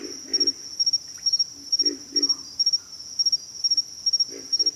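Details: Pig frogs calling with deep, rough grunts, often doubled, roughly every second, beneath a loud continuous high-pitched insect chorus with regular pulsing chirps.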